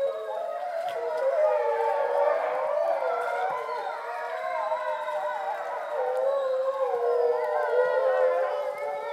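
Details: Captive grey wolves at a visitor centre in Šumava National Park, Czech Republic, howling at dusk in September from below a bridge, almost in darkness. Many long, overlapping howls form a dense wavering chorus.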